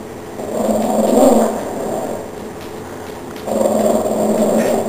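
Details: Chihuahua in a household, defending it against a cockroach: two stretches of low, rough, rumbling growl, the first swelling then fading, the second starting after a pause and holding steady to the end.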